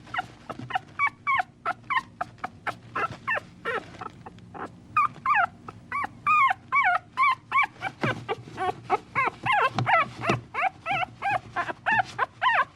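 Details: A young puppy cries steadily in rapid, evenly paced bursts of high, quavering whines, nearly three a second, each dipping then rising. Light scuffling comes in between.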